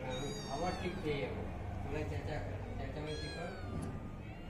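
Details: Kittens and mother cat at feeding time, hungry and waiting for milk: repeated high-pitched meows, some sliding downward, coming in quick bursts over a low continuous hum.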